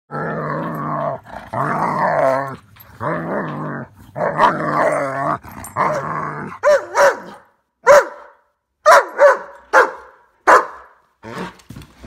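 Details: German Shepherd vocalizing while excited by snow flurries. It gives drawn-out, wavering growly moans in roughly one-second bursts, then a run of shorter, sharper yelping sounds. A person speaks to the dog.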